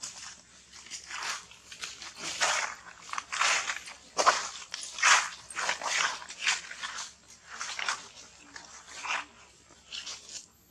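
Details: Infant monkey begging its mother for milk and being rejected, refusing to nurse: repeated shrill, hissing squeals and cries in rhythmic bursts roughly once a second, rising and falling in intensity.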